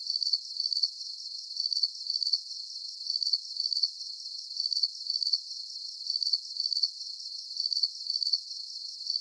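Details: Repeated shrill cricket chirps, paired pulses following each other in a regular cycle of about one and a half seconds, forming a calm, monotonous soundscape free of voices, wind or other creatures.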